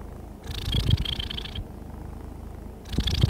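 A contented domestic cat purrs in a low, steady rumble with soft breathy rasps on each breath.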